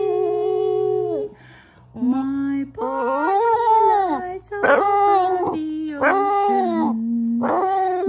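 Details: A Boston Terrier howls along with a person singing "My Bonnie Lies Over the Ocean", in long wavering tones that slide up and down.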